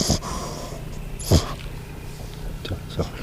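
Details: A French Bulldog snoring loudly while asleep, like a person: short rough low-pitched snorts about every one and a half seconds over a dull noisy background, with people talking softly nearby.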